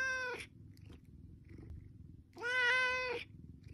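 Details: Domestic cat asking for food: two harmonic-rich meows, a short one at the start and a longer, steady one near the end, separated by quiet with a faint low hum underneath.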